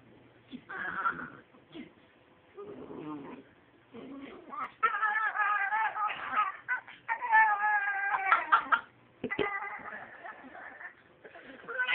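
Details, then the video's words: A talking dachshund makes varied whining, yodel-like vocalizations: quavering harmonic tones that rise and fall in uneven bursts, growing louder and longer midway through, separated by short pauses, with indoor room sound. "Talking wiener dog"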